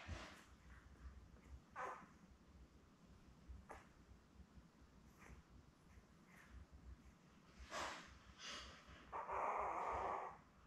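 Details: Labrador Retriever puppies, a litter of seven born May 24, 2021, with their mother Belle on a live puppy cam; soft snuffles and short breathy noises, then a loud, drawn-out squeal lasting over a second near the end.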